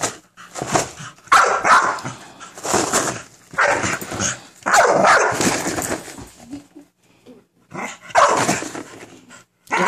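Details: Minerva the American Bully barks at a cereal box in loud, irregular single and double barks, rough and full-throated, with a few quiet pauses and a soft thump near the middle.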